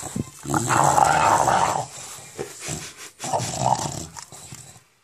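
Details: English Bulldog Enzo growls with his monster sound during ball play indoors: two gravelly, pulsing growl bouts about two seconds each, separated by a short gap.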